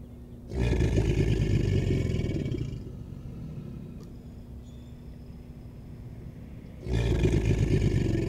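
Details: American alligators bellowing in mating behavior: two deep, rumbling, throbbing bellows of about two seconds each, rich in low tones, separated by a quieter pause with faint background sounds.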